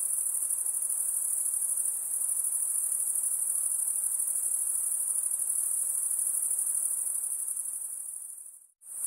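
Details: Unbroken high-pitched insect trill, a thin piercing buzz holding steady for about eight seconds before briefly cutting out near the end and resuming.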